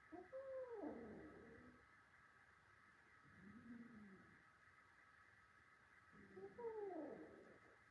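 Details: Cats fighting, a little male against his adult brothers: three harsh, wavering yowls, the first and last loud and rough, a softer arched moan in the middle, about three seconds apart.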